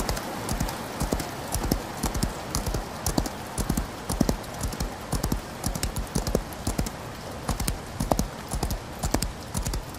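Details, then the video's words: A horse galloping in the rain, its hooves pounding in a rolling, repeated rhythm of low, sharp thuds, with a soft wash of rain hissing behind. "Horse Galloping In The Rain"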